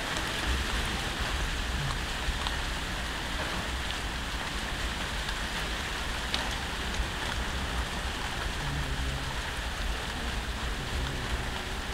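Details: Continuous heavy rain on a surface with broadband hiss and a low rumble, with no animal calls standing out.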